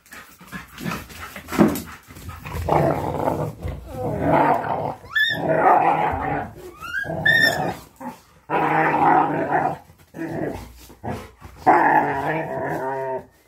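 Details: A Labrador Retriever growls during play: long, rough, low rumbling growls come in bursts of a few seconds with short gaps, broken by a couple of brief high, rising whine-like squeaks midway.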